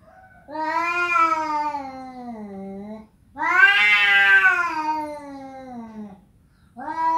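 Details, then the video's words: A pet cat indoors producing repeated long meows, two full drawn-out calls falling in pitch at their ends, then a third beginning, with brief pauses between. "Kucing bisa ngomong"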